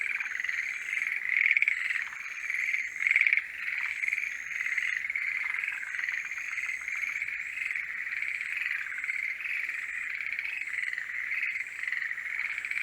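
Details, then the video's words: During the mating season, forest green tree frogs call together in a dense, unbroken chorus of rapid, rattling croaks. "モリアオガエルの鳴き声(Forest green tree frogs are singing)"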